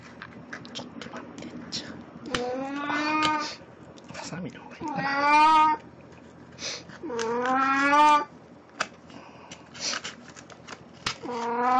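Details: Pet cat Puran in Snow White cosplay at home, 1 April 2017, with yellowtail as a souvenir; four loud, wavering meows about two seconds apart, each rising then falling, with faint human voices and small knocks between them.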